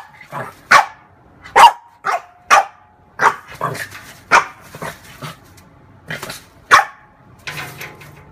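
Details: Female French bulldog playing with her own mirror image, giving a string of short, sharp barks at uneven intervals, about one a second, mixed with softer yips and a low growly undertone.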